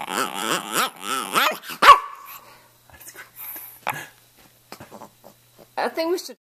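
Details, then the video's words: Stanley, a two-and-a-half-year-old red rough-coat Brussels Griffon from Miami, vocalizes in a quick chain of arched, yodel-like talking notes, then scattered short sounds and a final brief howling burst, with some human speech nearby. "Stanley Talking"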